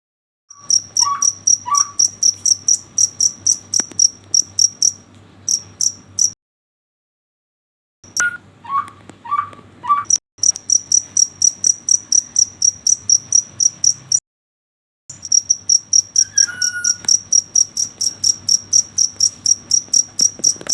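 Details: Cricket chirping at night, a steady train of short high-pitched pulses about four per second, broken by two brief silent gaps; faint low tonal notes sound early and near the end.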